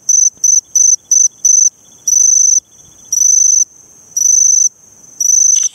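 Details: Eurepella cricket, Eighty Mile Beach, Western Australia, giving its variable call: five quick short bursts, then longer half-second bursts spaced by pauses of about half a second, all high and shrill, ending with a brief noise.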